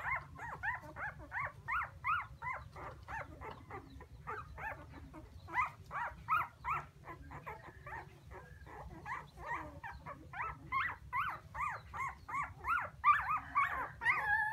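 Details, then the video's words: Puppies wail for their missing mother in a long, steady chorus of sharp, up-and-down whimpers, several each second, some overlapping, growing busier and louder near the end, with a low constant hum underneath. "Why Puppies So Crying full Where is mommy?"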